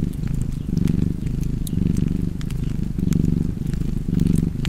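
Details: Cozy cat purr by a fireplace, a low continuous rumble rising and easing with each breath roughly every second, while light crackles from the fire snap above it.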